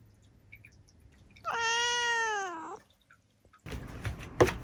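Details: Seven-year-old black female house cat indoors giving one loud, sustained meow lasting over a second that slides slightly down at the end, followed by a burst of rustling noise.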